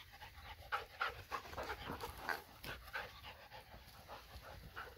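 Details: Dogs at play, a Borzoi romping with Golden Retriever and Poodle friends: quick, breathy panting bursts about three to four per second, uneven in rhythm, over a low outdoor rumble.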